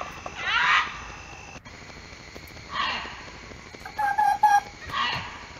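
A fox gives harsh, hoarse calls, spaced about two seconds apart, during the mating season.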